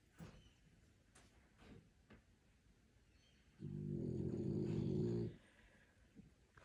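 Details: French Bulldog asleep, snoring: after faint room sounds and brief speech, one loud, low, rattling snore lasts nearly two seconds before quiet returns.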